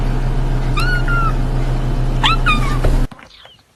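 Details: Newborn kittens meowing: two high, clear meows about a second and a half apart, the first smooth and slightly falling, the second breaking into a quick double note, over a steady low hum that stops abruptly near the end.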